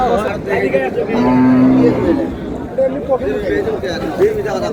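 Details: Dairy cow with calf at the Raniganj haat livestock market, Dinajpur, on May 4, 2026, gives one short, flat, low moo lasting under a second, surrounded by dense market talk and background human voices.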